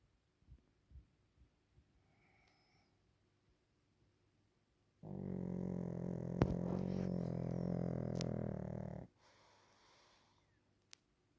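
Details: Waffle, a Pekingese, naps and snores: after a few soft breaths, a single loud, rough, droning snore lasts about four seconds, then fades into a quieter wheezy breath.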